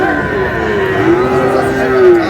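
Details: Sahiwal bull at a cattle market, bought by a farmer from Noakhali on 4 April: one long, steady, low moo with a slight rise near the end, over constant crowd chatter and market noise.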